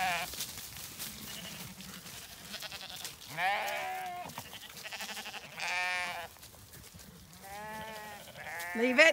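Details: Zwartbles ewes and their lambs being moved to the long acre in County Kilkenny, Ireland, the lambs romping along to join them; several separate wavering bleats from different animals, some high and thin, with a woman calling them on.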